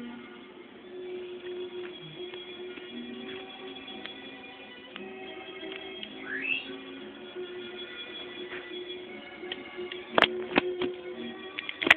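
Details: Steady indoor hum with faint musical tones and a couple of sharp clicks or knocks near the end; no animal calls stand out.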